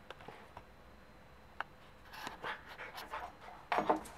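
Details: A 3-month-old male Pembroke Welsh Corgi puppy, excited over a new bone, pants and snuffles, then gives a brief, squeaky yip near the end.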